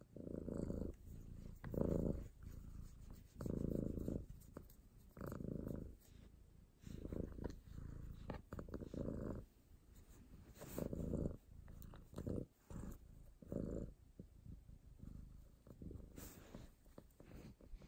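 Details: A cat purring softly up close: low, rumbling throb in rhythmic swells about a second long, alternating stronger and weaker with each breath, occasional faint clicks and rustles between.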